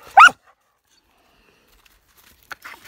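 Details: Bailey, a pregnant female Border Collie, mid-game of fetch: one sharp, loud bark right at the start, followed by near silence and a few faint rustling sounds toward the end.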